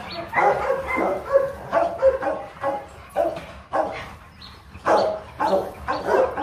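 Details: Rottweiler barks at a Vietnamese kennel during champion Loki's mating with an imported female from Hưng Yên: about a dozen separate harsh, throaty barks over several seconds, spaced irregularly.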